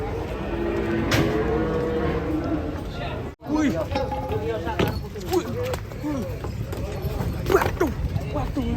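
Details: Fat cattle give a drawn-out, steady low moo during the opening seconds, followed by human chatter and scattered clatter and knocks.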